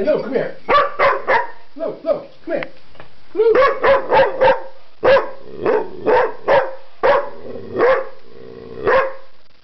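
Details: Pet dog trying to communicate with odd vocal noises: rapid runs of clipped, nasal barks and yelps, some clustered tightly together, others spaced about half a second apart, ending with a few single whiny yips.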